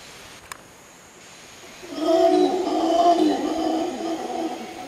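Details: At Arenal Observatory Lodge, Costa Rica, howler monkeys break into a loud, deep, rough howl after a quiet opening second, the roaring held for about three seconds against a constant high-pitched insect drone.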